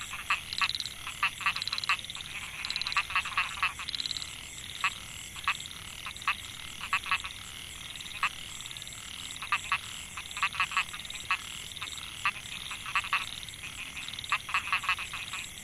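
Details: Rice-field chorus of male Microhyla pulchra at Mae Hia, Chiang Mai, Thailand, recorded in 2014. The males call to lure females, producing repeated short rattles and pulsed croaks, some grouped in quick runs, against a continuous high insect whine.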